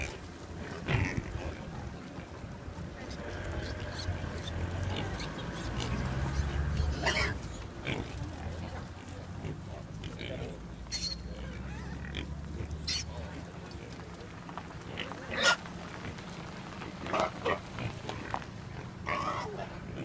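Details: Wild boars at the roadside of road 309 on New Zealand's Coromandel Peninsula: low, rumbling grunts and snuffles come in bursts, mixed with sharp rustling clicks and snaps, while human voices murmur in the background.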